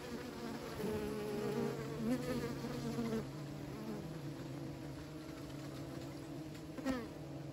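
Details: A continuous buzzing hum from kept bees, dense and even, with brief higher wavering tones near the start and a sharp click near the end.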